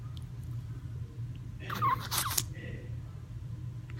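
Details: Small male Chihuahua caught in a sudden sneezing episode at night: one sharp, explosive broadband burst of sneezing and snorting near the middle, preceded by a brief faint squeak, over a steady low indoor hum.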